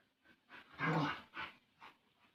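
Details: Playful growling from Bali dogs Jamet and Airbus, a small and a large dog at play together; one loud rough growl swelling in the middle, followed by two shorter fading grumbles in a small room.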